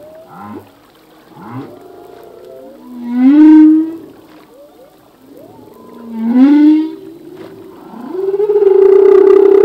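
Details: Humpback whale song from a singing male, a full-length song of the sea: loud upswept moans and rising whoops recur every few seconds with bright overtones, ending in a sustained tonal wail.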